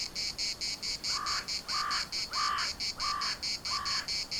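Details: Cicadas at Larnaca's municipal park keep up a high, pulsed buzzing while a lower, harsh call repeats five times, roughly every two-thirds of a second, over the chorus.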